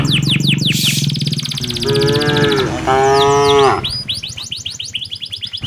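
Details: Herded tame cows heading to their pen on an Indonesian village afternoon. A long, wavering lowing moo, briefly broken then resumed, among dense, rapid high-pitched bird chirps and some rustling.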